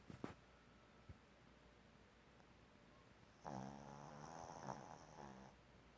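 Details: A puppy, flopped out and fast asleep, snores. After quiet breathing, one long droning snore lasts about two seconds, buzzy and layered with a faint high whistle, in a quiet room.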